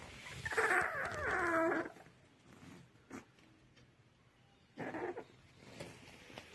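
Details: A motherless 25-day-old puppy, bloated after drinking milk, cries with a distressed whimper tied to gastric gas trouble. One long wavering whine of more than a second, then a brief second whine after a quiet pause, over light background noise.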